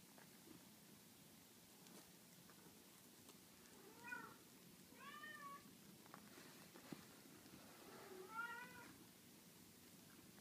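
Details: Six-day-old Scottish Fold kittens, sleeping a lot at the start of the day, give thin, high mewing cries in short bursts with pauses between.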